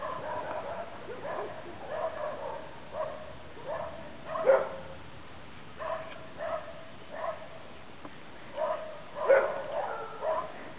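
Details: Thai Ridgeback puppies at kennel Plums´Jewel in 2013 yapping in a loose series of short, high, harmonic barks and yips, a few louder ones standing out, roughly every second or two.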